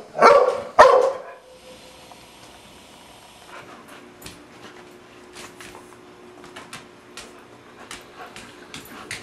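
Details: Two loud, sharp barks from a pet Dogo Argentino within the first second, then near quiet with faint clicks, taps and a steady low hum.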